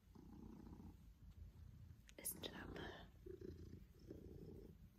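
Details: Pippin, an affectionate Maine Coon cat, purring while cuddling with his family and trying to lick a hand; a low rumbling purr in steady inhale-exhale pulses, with a soft whispered voice and brief handling rustle midway.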